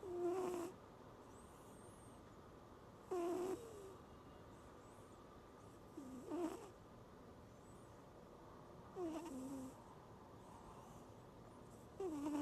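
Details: A cat snoring pig-style on a stormy night under the No. 10 typhoon signal: rasping, nasal snores with a slight falling tone, one roughly every three seconds, over a steady background hiss.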